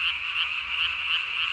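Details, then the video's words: Japanese tree frog calling at night on 3 May 2020, its throat vocal sac inflated nearly as large as its body; dense, steady high-pitched trilling chorus with a faint rhythmic pulsing throughout. "밤에 우는 청개구리 울음판이 몸통 만큼 크네요?"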